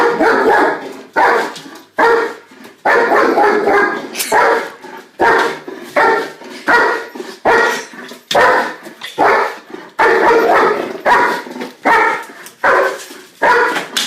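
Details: Rapid, rhythmic German shepherd barking, harsh barks in a near-continuous run of about fourteen seconds, each cut short and quickly followed by the next.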